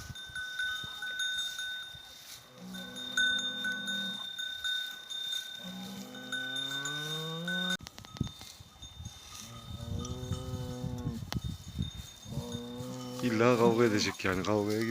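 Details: Angus cattle in a village after a fight that left one animal's eye slightly injured; several drawn-out, deep harmonic moos, some rising at the end, repeated through the stretch, with music playing behind.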